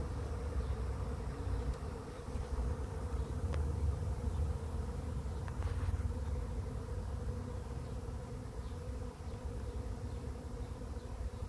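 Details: Swarm of bees arriving at a swarm trap, the fourth swarm caught: a dense, steady droning buzz from many bees, holding one low hum throughout, over a rumbling low-frequency background.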